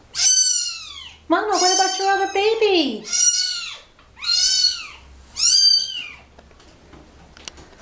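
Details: Meows from a mother cat and her kittens, dumped together in a box at a turnpike, as the mother carries the babies back one by one: five strong meows, one lower and drawn out, with a woman's soft speech underneath.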